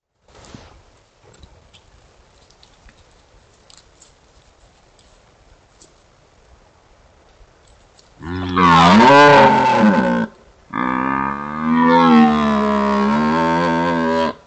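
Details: Male red deer bellowing in front of a wifi trail camera in Foreste Casentinesi National Park, Italy: after a quiet start with faint rustles, two long, loud, deep, harmonically rich roars, the first about two seconds, the second nearly four seconds with wavering pitch.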